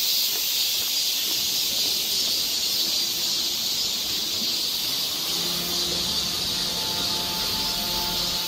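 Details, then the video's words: Continuous high cicada drone along a summer forest trail in Seoul, Korea; midway a low steady hum with faint tonal overtones rises beneath the insects' hissing buzz. "cicada sound"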